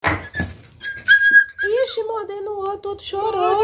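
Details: Indoor puppies, 28 days old, a boxer–pitbull cross (mother Xena, father Brutos), one crying: after brief human speech comes a drawn-out, wavering whine that slides down and holds steady, then rises again.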